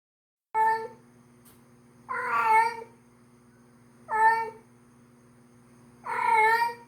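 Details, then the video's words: Female domestic cat in heat calling for a male: four loud, drawn-out harmonic yowls, each lasting under a second, about every two seconds, with a steady low hum beneath in a small room. "suara kucing betina birahi memanggil kucing jantan"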